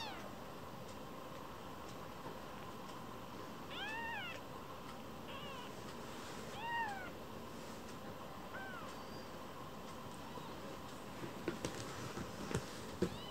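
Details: Rescued foster kittens indoors, vying with each other for the householder's attention after a squabble; about four short arched meows, each rising then falling, spaced a second or two apart over a steady room hum, then a few soft clicks and taps.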